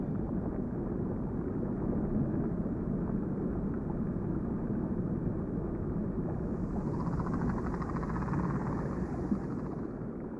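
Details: A steady low engine drone, like a helicopter or boat motor, with no animal sound.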